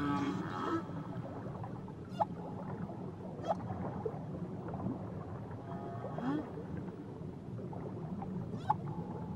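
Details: Whale song recorded near Tahiti: short upward-sliding squeaks and brief tonal moans, interspersed with sharp broadband clicks roughly every one to two seconds, all over constant low underwater hiss and rumble.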